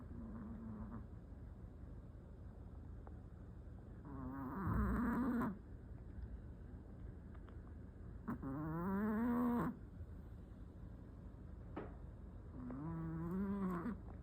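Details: Sixteen-year-old Maltese with pulmonary edema and tracheal stenosis, ribs heaving as it breathes, snoring heavily while on medication. Three loud, honking, wheezy breaths with a tonal rising edge come roughly every four seconds over a low, steady rasp.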